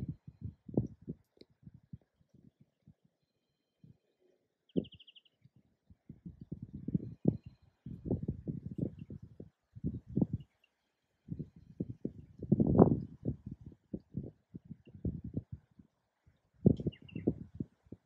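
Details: Male and female koala fighting during mating season: low, rough, pulsing grunts in rapid bursts, separated by short quiet gaps, with a louder, longer burst near the middle and another near the end.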